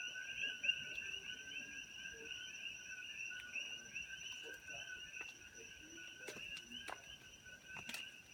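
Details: Coqui frogs calling at sunset on a farm in Kona, Hawaii, where they were introduced from Puerto Rico; many frogs blend into a dense, steady high-pitched chorus of overlapping calls with a few sharp clicks and faint rustling.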